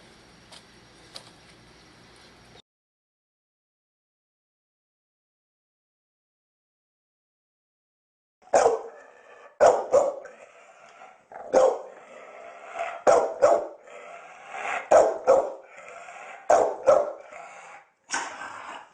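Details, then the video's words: Pit Bull barking loudly, a series of sharp, harsh barks repeated irregularly, roughly every second, after a short stretch of music and then several seconds of silence. "Sonido de Pitbull ladrando fuerte"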